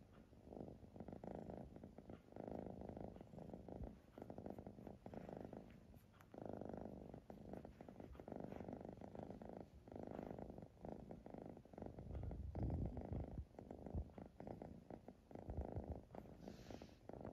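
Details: Siamese cat purring continuously, rhythmic rumbling bursts repeating about every one and a half to two seconds, each inhale and exhale audible as a swelling buzz, otherwise quiet indoors.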